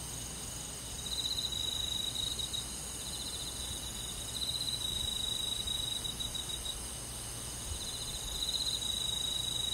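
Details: Crickets and other insects chirp at night in a summer forest in the Korean countryside, high, pulsing trills swelling and fading in bursts over a steady insect hum.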